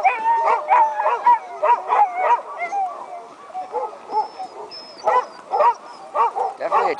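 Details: A pack of sled dogs, excited about racing, howls and yelps together in a loud, overlapping chorus about an hour before the start of the 2010 Wolftrack Classic sled dog race.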